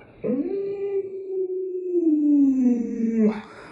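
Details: Pet Alaskan Malamute Luoluo, at home indoors, gives one long, steady howl-like whine of over three seconds that slowly sinks lower in pitch toward the end, with a short yelp at the start.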